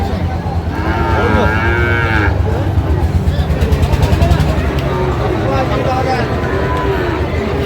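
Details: Sahiwal bull calves at a busy cattle market in Faridpur, Bangladesh, on 23 June 2025; drawn-out harmonic lowing rising and falling in two bouts, over constant crowd chatter and low engine rumble.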